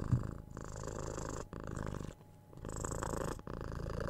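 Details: Head scratches and cuddles set six-month-old kitten Tora purring, captured with a 3DIO binaural mic; rich low purr in repeated breathing pulses, broken by a brief quiet pause in the middle before resuming.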